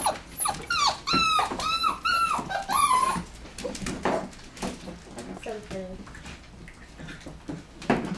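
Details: Lively nine-week-old Border Collie x Australian Shepherd puppies indoors, giving a quick run of high, shrill yelps and whines that slide downward, about one each half second, then fading into scuffling, softer squeaks and room noise.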